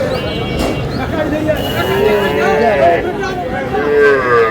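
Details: Young Sahiwal cattle, bull and heifer calves, for sale at the Aftabganj livestock market in Dinajpur district, Bangladesh, on 10 June. Low, drawn-out moos with layered harmonics sound through loud bargaining voices and crowd chatter.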